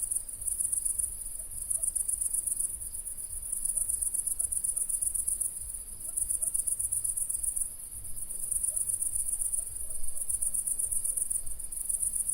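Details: Crickets on a country night: high, rapid pulsed chirping in steady trains with brief pauses every second or two, continuous throughout, with low rumble underneath.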